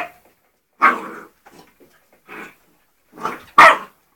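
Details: Young English Springer Spaniel, three months old, at play with ferrets inside; a series of short yipping barks and softer whines, ending with two sharper barks close together.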